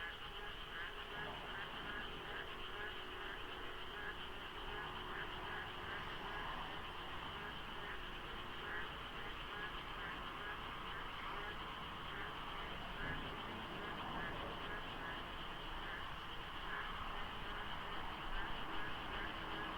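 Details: Dense frog chorus filling the dark at dawn during the monsoon rains by the Deokso IC highway interchange, South Korea, in light fog; many overlapping pulsed croaks repeating rapidly and steadily, with a low rumble of sparse traffic beneath.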